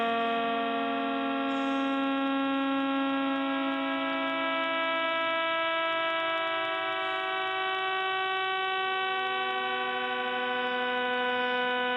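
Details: Steady sustained organ-like tones with a low hum, with no animal sounds.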